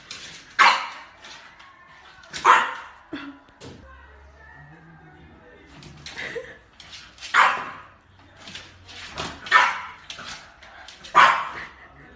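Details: French Bulldog puppies in a compilation, giving sharp barks and yips at irregular intervals, about six loud bursts, with quieter whines and some human speech between them.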